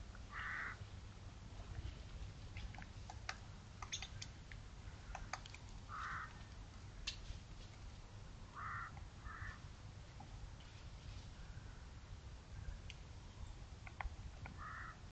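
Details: A roe deer buck, recorded 10 November 2022, gives brief, rough, hoarse barks, single or in quick pairs, at irregular intervals several seconds apart over a constant low rumble like wind or distant traffic, with faint scattered clicks.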